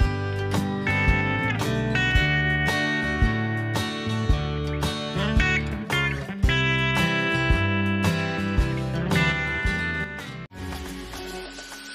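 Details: Bright slide and acoustic guitar music plays throughout, ending in a brief pause, with no animal calls present.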